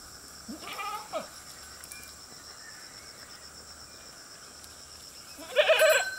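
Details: Goats grazing beside a road, with a short bleat near one second and a louder wavering bleat at the end over a steady background hum.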